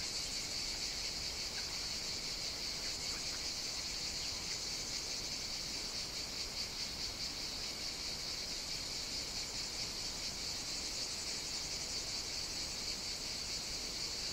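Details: Summer cicada chorus recorded on Evia, Greece, where they sing from early morning into the night; unbroken high-pitched buzz with faint rhythmic pulsing, steady loudness throughout, many callers merged.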